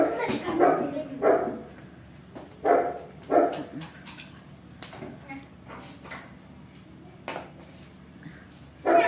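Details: A husky lets out a series of short barks and yips at irregular intervals, about one and a half per second, with whimpering between bursts, indoors.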